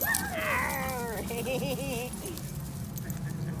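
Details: Playing Basenjis at a dog park, 2019, four dogs romping together: high quavering yodel-like cries that slide downward, then a lower warbling run, fading into park noise and voices.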